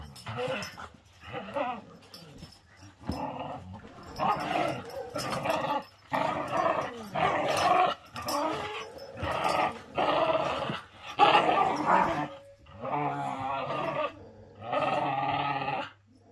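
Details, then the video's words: Several male whippets playing together, sounding rough. About a dozen harmonic growling and whining bursts, each lasting under a second to a second and a half, separated by short pauses. Some lower growls come in between. "How whippets play, it always looks bad !"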